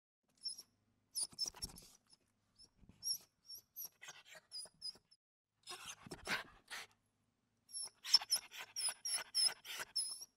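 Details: Small dog whimpering in a series of thin, very high squeaky whines and short breathy sniffs, broken by brief silences, with a louder cluster of rapid squeals toward the end.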